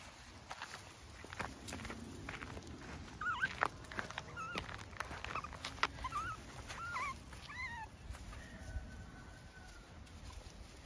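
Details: Curious puppies, among them Bolt and Inti, on a morning walk while still following their mother on a farm in County Kilkenny, Ireland: faint, short, high squeaky chirps cluster in the middle, some rising and some falling, over rustling ground noise.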